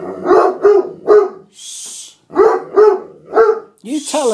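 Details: Pet Otterhound-Spinone mix dog protesting that his seat has been taken, giving two groups of three loud, evenly spaced barks about half a second apart, with a brief hiss between and a person's voice at the end.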